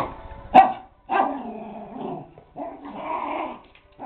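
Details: Poodles at play, two dogs together: a sharp bark, then lower growling, grumbling vocalizations with yip-like bursts, uneven and conversational in rhythm.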